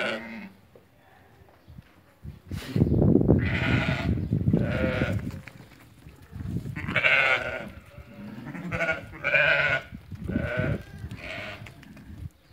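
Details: A flock of lambed ewes for sale at market in Fquih Ben Salah, about 80 animals: several short bleats repeated irregularly in the second half over heavy low rumbling and shuffling noise.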